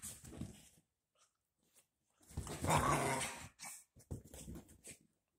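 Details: Freshly bathed dachshund puppies playing together; a brief growl, a quiet gap, then a longer throaty growl and several short snarling bursts.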